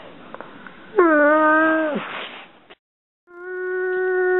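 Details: House dog whining about its favourite toy lodged under the couch: two short tonal whines, the first dropping away after a second, the second steady and rising in loudness after a brief silence.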